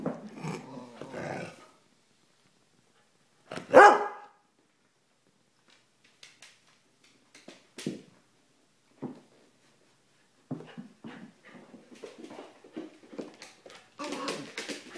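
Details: Growling from a pair of terriers, a young Airedale and a Silky (Yorkshire) Terrier: rough low growls open, one loud harsh bark follows, then scattered snuffles and a long run of grumbling growls with scuffling.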